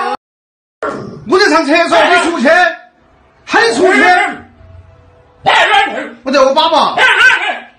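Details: Siberian Husky throwing a fit about not going out, four loud bursts of wavering, harmonic, talk-like screaming with short silences between, indoors.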